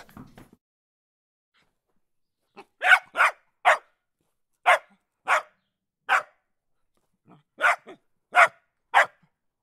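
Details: Dog, one of the world's cute puppies, barking in a steady series of sharp yaps after a brief rustle, about ten barks in pairs and singles with short gaps.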